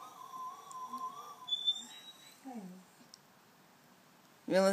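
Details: A Siberian Husky howls along to Gary Glitter's "Hey" song, which the owner calls its favourite: a drawn-out, wavering howl, then shorter falling yowls, with voices and music nearby.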